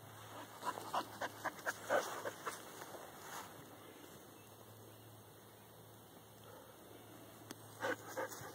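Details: Dog behind a fence challenging a whitetail doe that recently had twin fawns; a quick run of about eight short, sharp barks over the first two and a half seconds, a long pause, then two or three more near the end, over a steady low hum.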